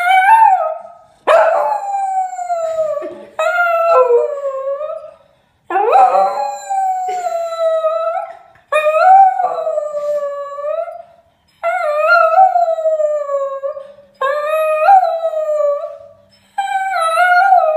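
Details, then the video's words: Singing spaniel howling in long, tuneful wails: seven sustained cries of one to three seconds each, many starting with a sharp upward slide then holding a wavering tone that falls away, separated by short breaths; nearly no background noise. "the singing spaniel"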